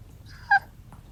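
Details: A sleeping cat that also snores like an old man gives one brief murmured sleep-talk sound, a short harmonic chirp-like note lasting about a tenth of a second, against a quiet indoor background.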